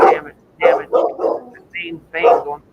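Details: Big dog with a deep, ruffy bark, described as aggressive and protective; a few rough barks in quick succession, mixed with a person talking nearby.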